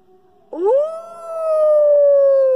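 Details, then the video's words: A British Columbian timber wolf gives a long, steady howl that swoops up and then holds, slowly dropping in pitch. "Timber Wolf Howl"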